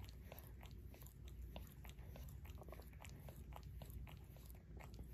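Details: Shorkie named Barry licks his own paw in a quiet room, making dense, rapid wet clicks and smacks, several per second, above a faint low hum.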